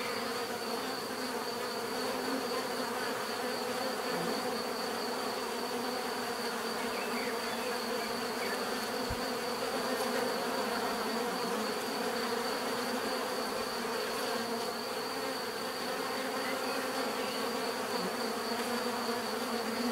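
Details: [['Steady natural buzzing of many bees, an unbroken droning hum with stacked tonal bands and a faint constant high whine, level and even for the whole stretch.']]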